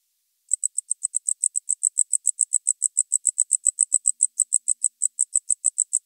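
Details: Tropical house cricket recorded in Starnberg, Germany, on 19 November 2021: a steady train of short, high, shrill chirps, about three to four per second, continuing evenly without other sounds.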